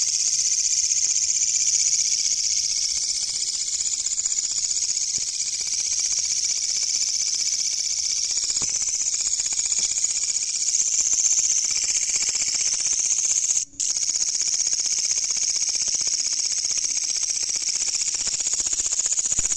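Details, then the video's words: Loud katydid at night, found during an insect hunt; an unbroken shrill buzzing drone held high in pitch for the whole stretch, cut by one brief dropout near the end. "The Katydid's Sound Is Very Loud"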